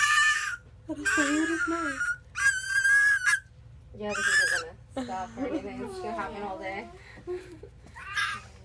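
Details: An 11-week-old fennec fox gives high, squealing whines in bursts, with a woman talking between them.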